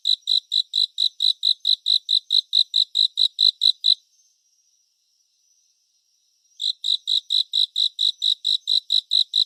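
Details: Cricket song recorded in 3D surround for calm and sleep: evenly spaced, shrill pulses near four per second for four seconds, then a silent stretch, then the chirping picks up again at the same pace.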